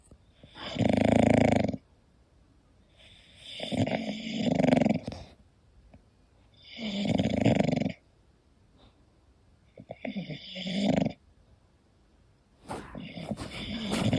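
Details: A sleeping English Bulldog snores in deep, rattling bursts, each drawn-out breath lasting one to two seconds, in a slow, steady rhythm with brief quiet pauses.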